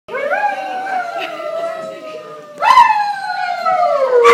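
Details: Greyhounds singing together at the GPAC Picnic in 2010, Atlantic Canada: long sustained howls sliding slowly downward with rich overtones, a fresh rising howl starting near the middle and another right at the end.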